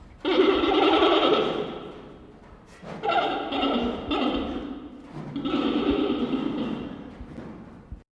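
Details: A giant panda gives harmonic bleats, then high, bird-like chirps in three drawn-out bouts, aimed at a neighbouring panda; such chirping signals interest, and a chirp response is a positive sign for mating.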